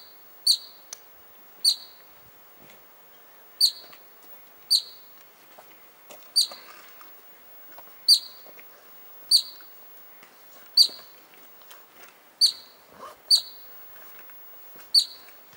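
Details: Excited Columbian ground squirrel in Little Yoho Valley, in front of the Stanley Mitchell Hut, giving sharp, high, piercing chirps, about a dozen in fifteen seconds at irregular intervals of roughly one to two seconds, over a quiet background.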